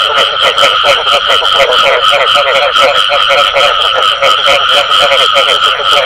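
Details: Frogs giving the bù tọt call in a crowded chorus, rapid pulsed croaks repeating about four times a second over a continuous rattling background.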